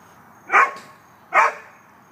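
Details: Dogs at play in a dog park, Katie alongside a little Rhodesian Ridgeback called Cosette: two loud, sharp barks less than a second apart over a quiet background.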